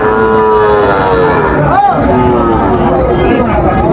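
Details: At Raniganj market in Dinajpur, where Sahiwal bull calves are traded, a drawn-out lowing tone swells and peaks in a short arch, with market talk and crowd noise continuing underneath.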